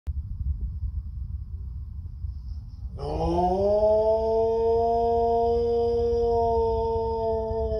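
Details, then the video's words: Rue, an Airedale Terrier, howls: after a few seconds of low rumbling background, a long sustained howl begins, rising briefly in pitch and then holding a steady, clear tone for about five seconds. "Rue the Airedale howling."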